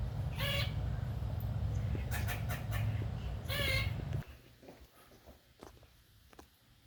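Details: A squirrel gives a couple of harsh, nasal harmonic calls and clicks while harassing an unbothered cat; the owner wonders if it is sick or rabid.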